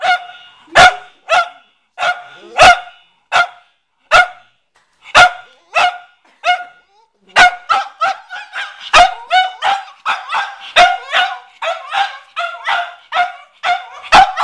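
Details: Cavalier King Charles Spaniel named McCartney barking at a watermelon in a garage, a repeated habit each time he entered; sharp, high barks in irregular bursts with short pauses, quickening toward the end.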